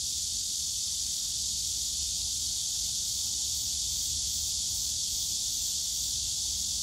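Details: Cicadas in the bamboo grove of Yongsan Family Park on a summer day, a dense, steady high-pitched buzzing chorus without pause, with faint low park noise beneath.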